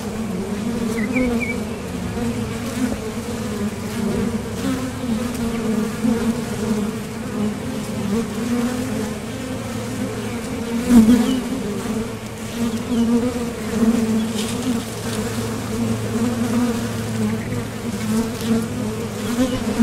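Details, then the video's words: Foraging honeybees coming and going at a top bar hive entrance, a continuous deep buzzing drone with a faint higher overtone, a short louder swell near the middle and one faint bird chirp early on. "Bees Sound Effects | WHITE NOISE | RELAJANTE Sonido de las Abejas"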